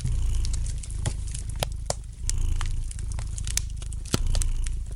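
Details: Low, continuous purring of a domestic cat, softly pulsing, mixed with bright snapping crackles from a wood fire in a fireplace indoors.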